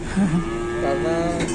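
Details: Cattle in Indonesia, one animal reported pinned or trapped: a short low harmonic moo that steps upward midway and holds a steadier tone, with a faint murmur of voices behind it.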